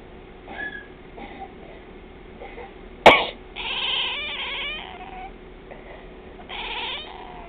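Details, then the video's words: Twilight the cat responding to a sneeze or cough: one sharp burst at three seconds, then a drawn-out wavering meow, a shorter follow-up meow, and a final meow near seven seconds; faint softer calls before. "Twilight meowing when someone sneezes or coughs"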